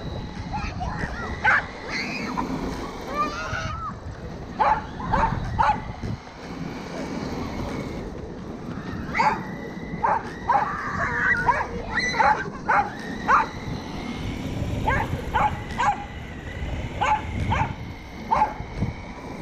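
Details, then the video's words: Pet corgi Roku chasing a Kuroneko Yamato radio-controlled car, 13 February 2021; scattered short barks in clusters separated by quieter gaps, with a high whirring motor and background noise throughout. "Roku chases RC car クロネコヤマト ラジコンカーを追うロクさん 20210213 dog corgi コーギー"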